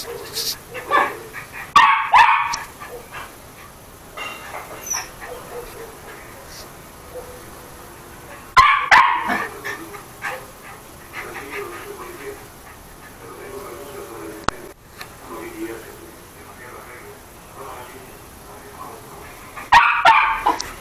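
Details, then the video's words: Chucky, a toy poodle, barks during play: short bursts of sharp yapping barks every several seconds, with low whining grumbles between them and quiet indoor background. "el perro chucky tel ladrando y jugando"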